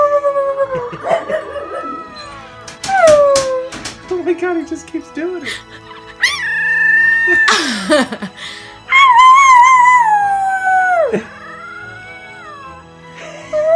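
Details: A male Royal Frenchel (French Bulldog mix) puppy, only about 3½ weeks old and a keen "talker", howls in wavering, sliding tones as if singing along while music plays and people talk.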